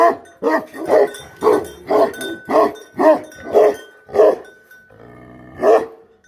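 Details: Himalayan guardian dog of the Bhote Kukur type barking in a quick series of heavy, hoarse barks about twice a second, a brief break with low murmuring, then one more bark; a faint thin tone sounds in the background.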